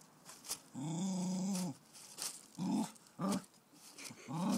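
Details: A female Cocker Spaniel puppy, meeting a caterpillar for the first time one summer, gives drawn-out, growly barks and short yaps in fear.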